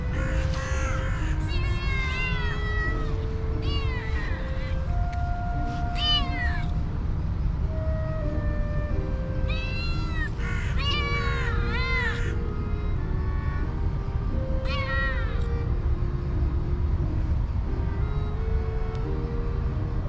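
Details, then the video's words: Hungry cats and kittens crowd around a person begging for food, giving repeated bright, wavering meows in clusters, several overlapping, with gaps between bursts, over sustained background music notes and low rumbling noise. "Hungry Cats and Cute kittens gather around me and meowing for food."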